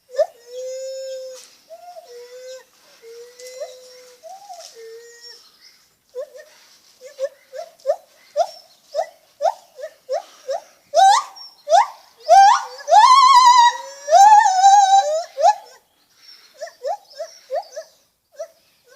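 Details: Lar gibbon calling: soft level hoots at first, then an accelerating series of short upward-sweeping notes that build into loud, wavering, trilled cries before fading back to quiet hoots.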